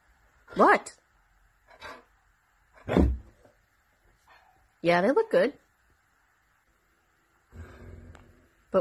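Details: Siberian Husky being a dramatic drama queen: three separate whining, yodel-like calls that swoop up and down in pitch, spaced a couple of seconds apart, with a person's speech and a low rumble near the end.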